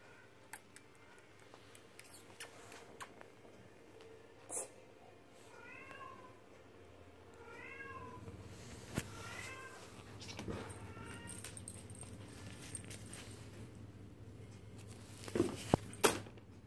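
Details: Woody, a silver rosetted Bengal kitten at five weeks old, gives four short, high, chirpy mews in quick succession midway through. Scattered clicks, rustling and handling noises come before and after.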